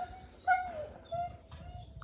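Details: Jack Russell Terrier whimpering during a cold spell as dogs are kept outdoors in snow-like chill. A high, drawn-out whine rises briefly then slides downward, followed by a second steady whine, over low rumbling background noise.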